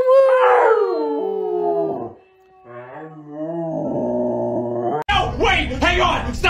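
A Siberian Husky gives drawn-out, wavering howls that slide downward in pitch.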